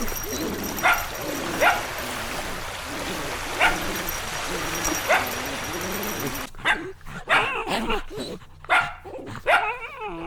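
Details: Little puppies at play outside, letting out short sharp yips every second or two over a rumbling whiny background, then a quicker burst of clipped yaps near the end.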